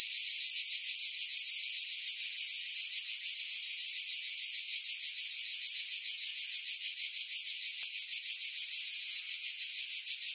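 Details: Pine-dwelling cicadas near Pefkos Bay on Skiros, Greece, July 2018, wind filtered out: steady shrill rasping drone with rapid rhythmic pulses roughly three per second, intensifying slightly toward the end.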